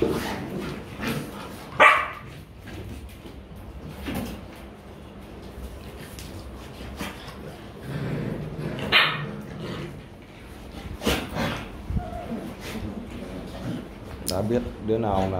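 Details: Rottweiler puppies playing and play-fighting in Vietnam, practising biting; a few sharp high yips stand out at intervals over scuffling noise, with a man talking in Vietnamese.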